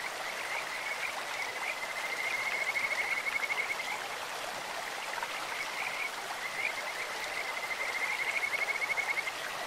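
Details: In a clear stream, Kajika frogs give a beautiful voice like a bird or insect: rapid pulsed trills on a level high note, one from about two to four seconds and another near eight, above steady flowing-water noise.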